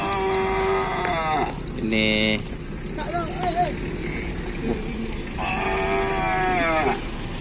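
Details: Bulls training for a Kerapan Sapi race at Asemanis field, 6 November 2022: drawn-out harmonic moos open and close the stretch, a short sharp call between, with voices and background crowd noise.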